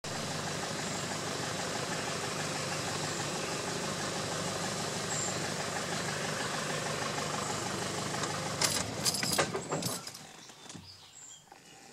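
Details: A vehicle engine idles steadily with a broad rumbling hum, then sharp clattering knocks near the end before the noise fades to quieter background; no animal voice is heard.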